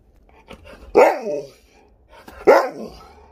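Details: Alaskan Malamute indoors, vocalising at a smart speaker in the morning, gives two drawn-out, falling, moaning woo calls about one and a half seconds apart, with faint room noise between them.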